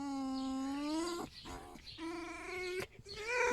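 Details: Male red fox kept as a pet after rescue from a fur farm, vocalizing while greeted in the morning: a long, steady, slightly rising tonal whine, then broken shorter whines and a rising cry, with a woman's voice nearby.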